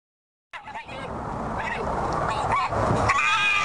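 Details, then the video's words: In a garden, a red fox gives harsh, rasping, rapid calls, protecting its food from a rival fox that has just appeared. "Upset fox - Making sounds"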